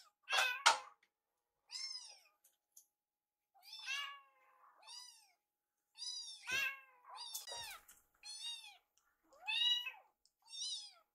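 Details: Kittens Yuki and Piyo-chan, foster rescues, chase a woman preparing their warmed wet food indoors; a steady series of about ten bright, arched meows roughly every second, clean and close, with a brief knock in between.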